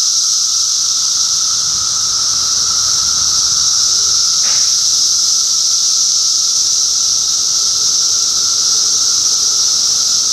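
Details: Continuous shrill droning from many cicadas in Middlesex County, New Jersey, June 2013; the high buzzing wall never pauses, a lower steady tone runs underneath, and one brief click cuts in near the middle.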